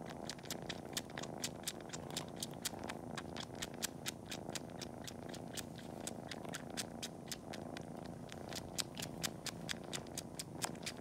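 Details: Kitten named Cori, indoors before a nap, suckling on toes as if nursing and kneading; loud smacking suckling clicks repeat rapidly and rhythmically, several per second, over an unbroken deep purr.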